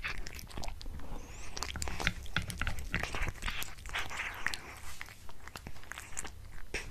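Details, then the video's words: Domestic cat munching a tuna mini stick indoors: sharp crunchy bites and moist smacking, about one burst a second, uneven in rhythm, close and quiet. "Cat eating Tuna Mini Stick ASMR"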